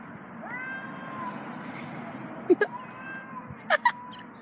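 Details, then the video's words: Cats calling while breeding: one long harmonic yowl that rises and then holds steady for almost two seconds, followed by a short meow, with sharp knocking clicks and a constant low background hum. "Cats making weird noises while breeding"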